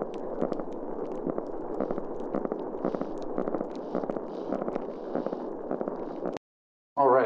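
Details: Spotted seatrout spawning sounds recorded in an estuary: a longer grunt dropping in frequency, then low, rapid staccato knocking pulses that run together into a steady, rumbling purr.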